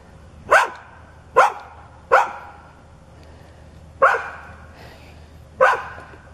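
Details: Neighbour's dog, described as growling, foaming at the mouth and charging whenever its watcher turned away, gives five sharp, loud barks spaced unevenly about a second apart, with quiet low background rumble between them.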